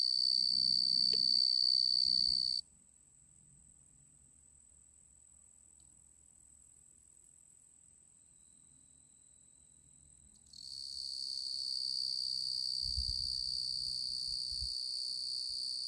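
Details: Singing male tree cricket, genus Oecanthus. A continuous high-pitched trill is heard for the first few seconds, drops almost out for about eight seconds, then returns strongly to the end, with soft low rumbling underneath.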